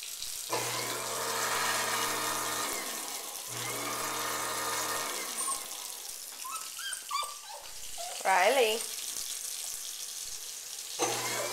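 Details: Dog named Riley, very upset while a garbage disposal runs in a kitchen sink: a loud droning hum in bursts, then between runs a few high, wavering whimpers and whines rising and falling, with water splashing.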